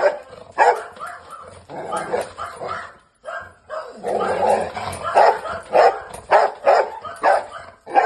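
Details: Angry dog, possibly a rottweiler, barking in dense harsh bursts, several quick barks per second with short pauses, loud and rough throughout.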